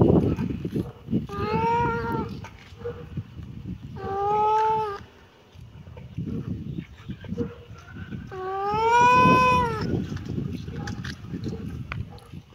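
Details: Kitten giving three drawn-out, arching meows spaced several seconds apart, the last one longest and loudest, over a steady low rumbling background.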